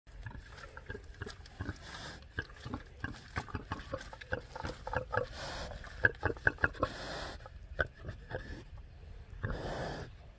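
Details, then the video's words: Farm pigs 'talking' to their keeper: a steady run of short, low, rough grunts and oinks, some overlapping, with a few louder snorts near the middle and a breathy rush toward the end; faint splashing or shuffling beneath. "My pigs are talking to me"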